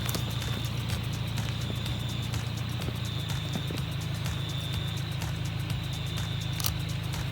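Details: An Eastern banjo frog (pobblebonk) calls on a warm night in Central West New South Wales, Australia, giving low, plunking 'bonk' notes repeated steadily.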